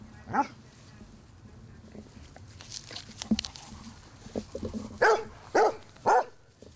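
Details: Basset Hounds kept as pets meeting a newly adopted Chihuahua puppy; a single sharp bark, a stretch of quiet shuffling and faint noises, then three loud barks in quick succession near the end.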